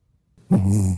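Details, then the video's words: Byeol-i, a sleepy puppy fond of long morning naps, snores while sleeping with a smiling face. Heard here: one loud, low, rumbling snore with a buzzy, throaty tone lasting about half a second, after a brief quiet start. "웃으면서 자는 예쁜 얼굴에 그렇지 못한 반전 코골이 사운드 / 아침잠이 많은 강아지 잠만보 별이"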